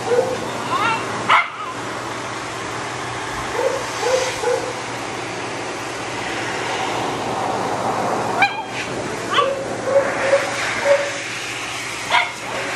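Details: A Shih Tzu with a matted coat and no tolerance for discomfort gives scattered short whining yelps and a few sharp cries while being dried. Steady blowing dryer noise fills the background.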